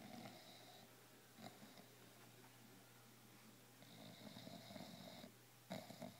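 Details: Snoring from Wrigley, a bulldog stretched out on his favourite couch: raspy, wheezing breaths in uneven bursts, a soft gap in the middle, then a long rattling snore and a final short snort, in a quiet room.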